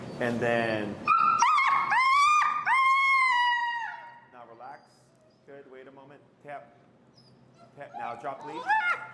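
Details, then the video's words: Finn, an extremely vocal dog in recall training with an e-collar in Chicago, lets out several long, high, drawn-out whines that waver slightly and fall at the ends, with a man's voice speaking before and after. "Working An Extremely Vocal Dog"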